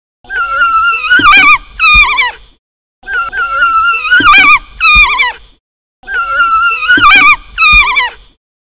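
African wild dog giving high, bird-like twittering chirps and squeaky whines in short repeated bursts.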